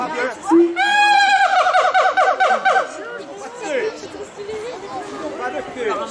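A monkey gives a loud, shrill, quavering call lasting about two seconds, with people murmuring around it.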